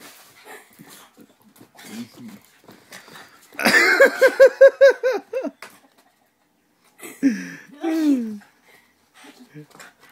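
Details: Rocky, a pug dog, vocalizing in a burst of about seven quick, tonal, pulsing grumbles over two seconds, then two longer whines that slide downward, with people talking quietly before and after.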